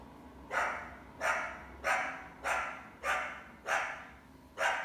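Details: Female coyote in summer, trying to hunt a household indoor cat, with at least one big pup along; six sharp, ringing barks about every 0.6 seconds, each fading with a short echoing tail over a low steady hum.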